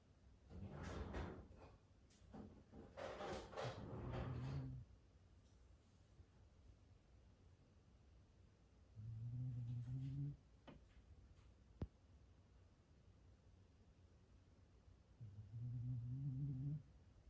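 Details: Gon-chan, a black Shiba Inu pet dog, sleeping at home on 9 May 2020, snoring in low, rasping breaths that come about every six seconds, with quiet room tone between them and a single sharp click.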